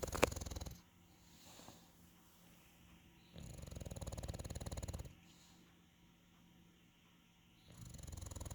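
An English Bulldog snores in slow, deep, rumbling bursts separated by quiet pauses.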